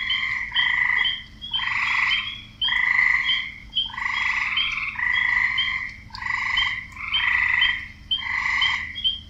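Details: Male frogs croaking to find partners, a dense run of short harsh pulsed croaks, about one a second, with sharper chirping notes on top and a quiet low hum below.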